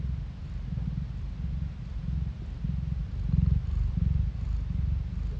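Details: Phone-recorded purring from a cat, a rough low drone pulsing in even in-and-out cycles that grow louder toward the final seconds.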